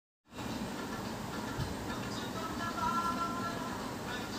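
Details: A steady broadband rumble with faint music-like tones fills the recording. No animal calls can be picked out.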